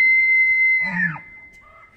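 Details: End of a rutting bull elk's bugle in Banff, Canada, in autumn: a loud high whistle held, then breaking into a falling, raspy glide with a deep growl beneath, fading to quiet.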